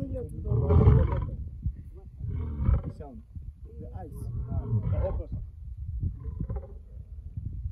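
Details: Male lion heard on a game drive in Namibia: rough, low grunting roars in uneven bursts, strongest at the start and fading, with human voices mixed in.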